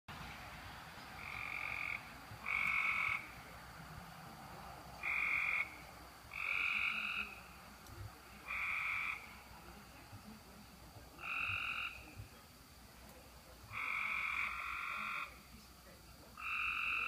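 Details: Frogs call from a roadside ditch after heavy rain at 11:35 pm on June 5, 2016. They give short, bright, buzzy, nasal bursts, each under a second, every one to two seconds in an uneven rhythm over faint hiss.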